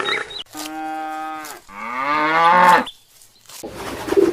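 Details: Cow mooing: two drawn-out lowing calls, the first steady and the second louder with a rising, strained end, followed by a brief silence and faint unrelated sounds.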